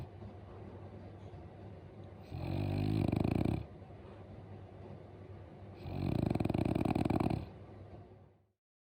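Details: Daifuku, a pet French Bulldog, snoring at home: two loud, harsh rattling snores, each lasting over a second, separated by quieter wheezy breathing, before the sound cuts off.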